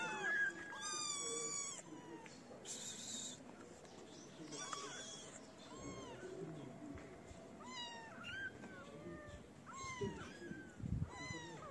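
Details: {'text': 'Feral kittens crowding a feeder outdoors, away from their black-nosed mother, give thin, high meows, some short and falling, scattered through the clip amid rustling and a low thump near the end.'}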